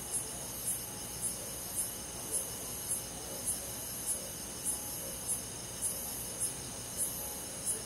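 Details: Countryside crickets singing on a calm summer night in the forest, regular high chirps recurring about twice per second, backed by a steady high-pitched insect drone.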